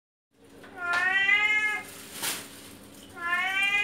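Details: Talkative male house cat meowing loudly indoors, begging for fish: two drawn-out harmonic meows, the first long and slightly falling, the second rising, with a brief broadband clatter between them.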